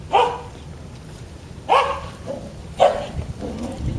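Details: Black-and-white male Border Collie puppy, 27 days old, born 3 April 2014, from a breeder in Hyogo, Japan, gives three short high yelping barks about a second apart, each followed by a softer squeak.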